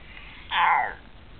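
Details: A pet American Staffordshire Terrier vocalizing while being scratched and massaged, which it loves; one short, tonal, moaning whine lasting about half a second in a quiet indoor room.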